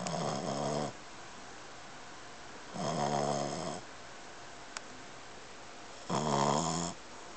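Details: An 8-month-old male Boston Terrier snores as usual, in long, rumbling breaths spaced a few seconds apart.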